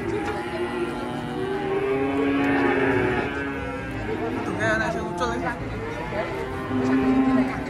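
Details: Cattle coming off a truck give drawn-out lowing moos, a few steady tones standing above background music and a brief burst of rattling noise midway.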